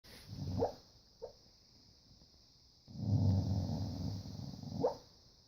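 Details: Dog barking and growling in its sleep while dreaming: a few short, muffled woofs, then a low rumbling growl lasting about two seconds, ending in another soft bark; steady electrical hum in background.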